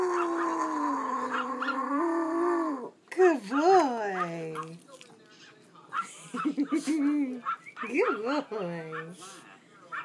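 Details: A small male Pomeranian howls: a long, steady, high note, then wavering rising-and-falling cries.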